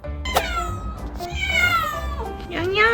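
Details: Domestic cat greeting its owner who came home early in the daytime, woken from sleep and running out; a long drawn, falling then rising meow with bright harmonics, with a woman speaking warmly over it.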